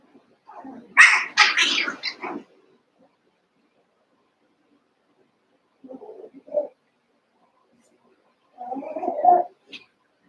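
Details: Cavalier King Charles Spaniel puppies, Daisy's litter of six merged with Robin's two pups, at play during their last days with their breeders: a loud cluster of sharp yaps around the first two seconds, then shorter, softer whines near six and nine seconds.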